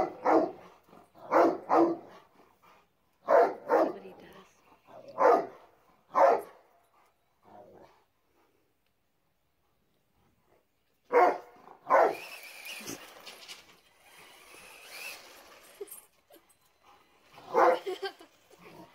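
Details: A Rottweiler barks at a remote-control car in deep, gruff doubles and triples, with the car's whining motor in the background.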